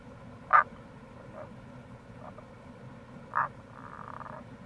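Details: Wild Tago's brown frog by the Kamo River gorge, Itoshima, Fukuoka, Japan, recorded in April: two strong croaks about three seconds apart, soft notes between, and a trailing rapid pulsed series, with steady running-water background.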